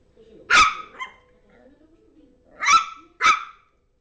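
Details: Zizel the Yorkshire terrier plays with her new mouse toy: one sharp bark and a softer yip, quiet murmuring, then two more loud barks close together.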